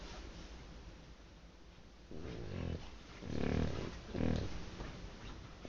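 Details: Dog asleep and snoring loudly, three coarse, low rasping breaths arriving roughly a second apart after a quiet start, in a small room.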